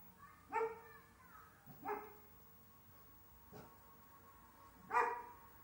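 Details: Dalmatian mother and daughter excited at the owner coming home by car: four spaced, tonal yelps, the last loudest, over a steady background hiss.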